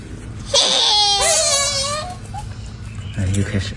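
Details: Golden monkey giving a loud, wavering, high-pitched squealing cry that dips and rises over about one and a half seconds, then a short fainter squeal, with low indoor room noise and a brief voice near the end.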